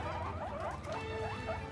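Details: Pet guinea pigs call indoors, expecting food after their grass box is opened: a string of soft, arched, whistled squeaks repeating throughout over a steady low hum.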